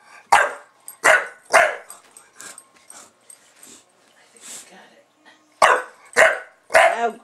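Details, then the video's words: Buster the Bulldog goes to town barking whenever the camera is on: three quick harsh barks, a quieter stretch with soft huffs and a human voice, then three more loud barks in a row. "Buster Bulldog reacts to Camera"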